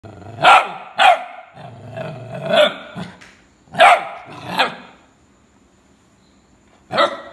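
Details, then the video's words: Rhodesian Ridgeback barking: loud, sharp barks in irregular bursts, two quick barks, then a growly stretch and more barks, a pause of about two seconds, then one final bark. "ridgeback barking"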